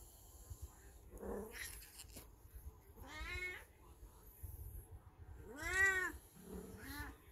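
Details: Beni, an elderly black house cat in heat, watched by a golden retriever at home, gives drawn-out wavering yowls, some rising and falling, spaced a few seconds apart in a quiet room.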